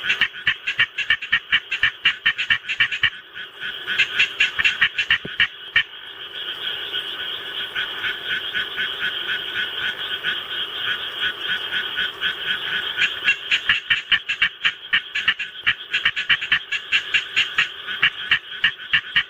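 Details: Pet Japanese tree frog at home, calling in answer to a played rice-paddy recording; loud, rapid trains of raspy pulsed croaks, several per second, pause mid-clip while a droning frog chorus from the recording continues, then resume.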